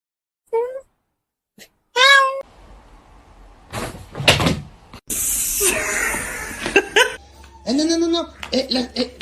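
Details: Domestic cat giving short, high meows, each a brief rising-falling tone, at the start, around two seconds and near the end, with thumps, knocks, rustling and human speech between them.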